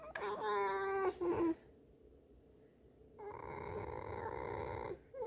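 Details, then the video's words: Pet fox, a female kept indoors, caught chewing a rag: a sharp wavering squeal, then a short second cry, silence, and a steady, nasal, buzzy drone lasting almost two seconds. "лиса.Вредность и скрип"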